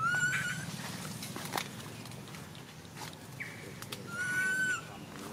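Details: Baby monkey crying non-stop while its mother ignores it: two drawn-out, clear whistled cries, level then slightly falling, spaced about four seconds apart over low rumbling background noise.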